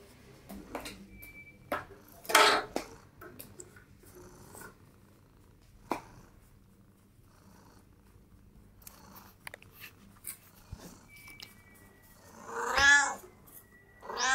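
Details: Cats at a breakfast table indoors; scattered taps and clinks of dishes, then one drawn-out harmonic meow near the end, with a faint meow-like sound just after it.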